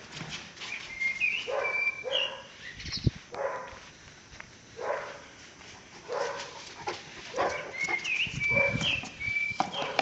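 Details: Caucasian Shepherd Dog Pələng, aged one year and one month, Azerbaijan, barking repeatedly at irregular intervals of about a second, with birds chirping high above the barks.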